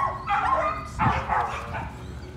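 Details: Patterdale Terrier pups excited while working rats at night in the puppy pen. Drawn-out, high whining yelps waver and bend in pitch, nearly continuous, with two louder surges, over faint low background rumble.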